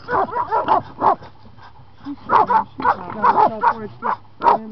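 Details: Patterdale Terrier working a raccoon, giving a rapid series of sharp, excited barks in bursts, with short pauses between volleys.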